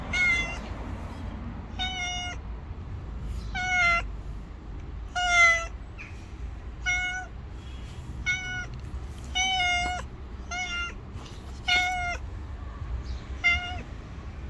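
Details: Hungry stray cat living on the street, waiting for food and wary of a person but not running off; short harmonic meows repeated roughly every one to two seconds over low rumbling background noise.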